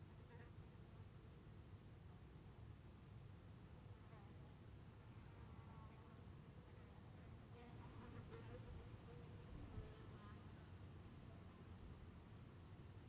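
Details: Soft, droning buzz of bees drifting in and out over a steady low rumble, recorded in Heiden, Switzerland.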